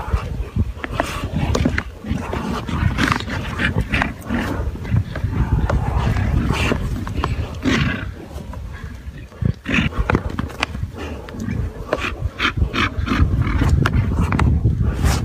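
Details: Tibetan white yak alongside a black yak, low rough grunting and roaring calls with broad noisy bursts, repeated irregularly across the stretch, over steady low rumbling background and sharp clicking knocks.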